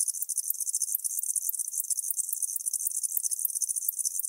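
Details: High-pitched chirping of a tropical house cricket, recorded in Starnberg, Germany, 19 November 2021. Rapid pulses pack into short bursts about four to five times a second, forming a continuous bright buzz with no other sounds.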